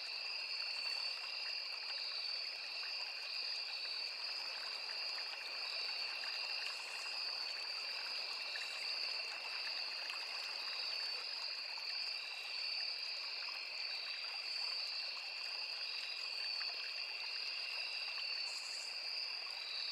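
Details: Crickets in a forest near a small river produce a steady, dense two-toned high whine across the whole stretch, occasional faint higher buzzes above it, backed by continuous trickling stream noise.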